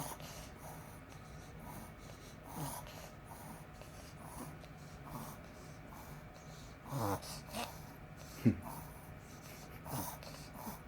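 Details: Household Pomeranian having a reverse sneeze, with soft breathy snorts building to a pair of harsh honking gasps and one sharp snort near the end, over a low constant room hum.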